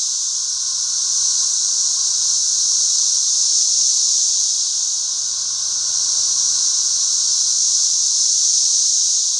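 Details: A back-yard swarm of thousands of 13-year periodical cicadas in flight, making a continuous shrill, hissing wall of sound that rises and falls gently over several seconds, with a lower steady buzzing tone underneath.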